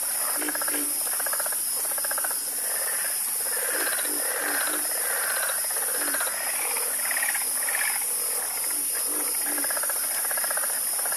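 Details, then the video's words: A loud, harmonious frog chorus, with buzzy rattling croaks from many animals overlapping almost continuously, about one burst per second, and a steady insect whine high above. "Calming Sound Of Harmonious Frog Croaking"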